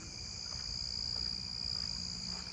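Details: A southeastern field cricket, seemingly in rocks, sings a steady, high, buzzing trill without a break at night in a neighbourhood, amid many narrow-winged tree crickets and a faint Nebraska conehead.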